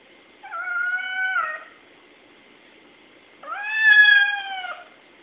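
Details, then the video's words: Domestic cat meowing at birds it cannot see: two drawn-out, slightly falling meows about a second long each, separated by a two-second pause, in a quiet room. "Meows at unseen birds"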